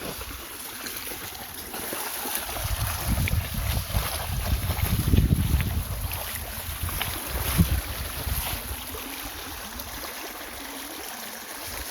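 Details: Outdoors by water in Osaka Prefecture before a typhoon, strong wind buffets the microphone with rushing, splashing water and rumbling gusts swelling mid-way.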